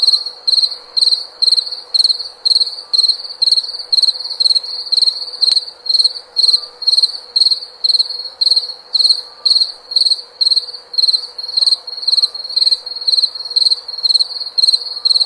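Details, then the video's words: A cricket sings continuously, giving rapid high-pitched trilled chirps about twice per second for fifteen seconds, each chirp a tight cluster of pulses, with faint higher harmonics and a soft steady low background tone. "SOM DE GRILO"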